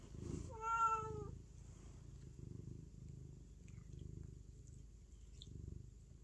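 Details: A single short meow from a cat opens, followed by several seconds of continuous low rhythmic purring.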